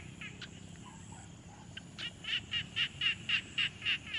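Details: Frog calling at a quiet pond, captured on a Tascam Portacapture X6: a few soft scattered notes, then from two seconds a regular train of about nine harsh, pulsed calls spaced a quarter second apart.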